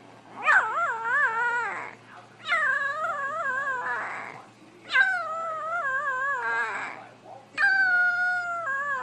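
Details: Young dogs howling in long wobbling cries, each wavering up and down before tailing off, four bouts in a row with a faint low hum beneath.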